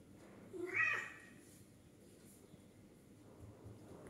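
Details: A 13-year-old male exotic breed cat up for adoption in Ampang, Selangor, gives a single short attention-getting meow, rising then falling, in a quiet indoor room.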